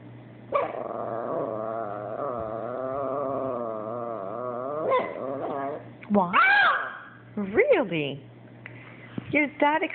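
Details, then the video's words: Abbie the Chihuahua talking back after her Yorkie housemate Sebastian took her toy: a long sustained moaning howl-like whine, then several sharp rising and falling yips and yowls, with a person's voice mixed in and a faint hum. "Abbie the Chihuahua Talking and Complaining...AGAIN!"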